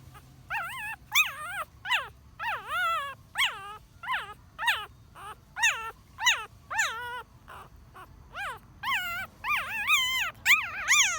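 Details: Ten-day-old newborn puppy crying: a rapid series of thin, high, whining squeals, each rising then falling, repeated about every half to one second, growing louder and more strained toward the end, over a quiet background.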